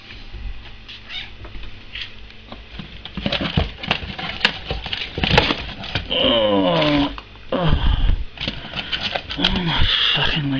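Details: Feeding time for Sooty, a house cat: drawn-out wavering meows and caterwaul-like cries in the second half among clattering, tapping and rustling noises, with brief human voice.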